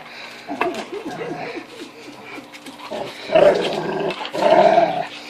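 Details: Zena the Rottweiler, frustrated at an indestructible ball toy indoors, gives quick short whimpers and low grumbling growls, then two louder drawn-out whining cries near the end over a constant household hum.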